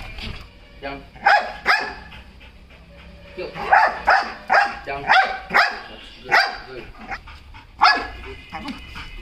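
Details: Belgian Malinois named Lukcy barking in short, loud, sharp bursts at irregular intervals, several in quick succession midway, while a handler repeatedly says "yes" and "good job" in praise.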